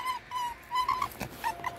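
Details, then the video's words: Red fox kept indoors and said to be in a bad mood gives short, level, nasal whines in a quick run of four or five notes, with a click and faint music behind. "У лиса плохое настроение"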